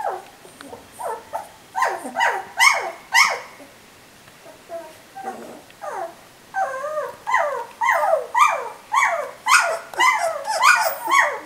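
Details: Litter of puppies three weeks old giving loud repeated whimpers and yelps, each a short harmonic whine falling in pitch, coming roughly twice per second with a brief quieter pause midway.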